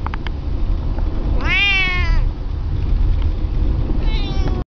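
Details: Female domestic cat shut in her carrier during a Thanksgiving car ride, unhappy and meowing loudly in protest; one long, strong meow that rises then falls, followed later by a shorter, fainter one, over a constant low rumble of road noise.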